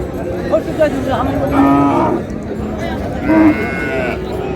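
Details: Cattle at Raniganj market in Dinajpur, where cows with calves are sold: a couple of short low moos among steady crowd chatter and speech.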